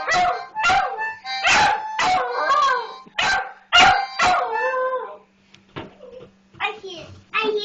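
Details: Puppy singing along with a toddler to a harmonica; loud, drawn-out tonal howls with falling glides come in quick bursts, pausing near the middle before resuming, mixed with the child's voice and harmonica notes.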